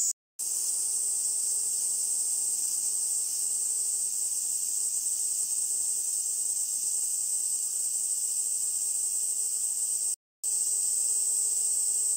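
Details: Kaempfer cicada (niinii-zemi) in early summer, late June–July rainy season, around Minuma rice fields along the Minuma irrigation canal where cherry trees abound, sings a steady, high, hissing drone without a break.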